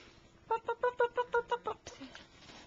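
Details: French Bulldog puppies, Annie and Tearloch's baby girls, playing indoors in a living room; a quick, even run of eight high, bright yips over little more than a second, followed by softer shuffling noises.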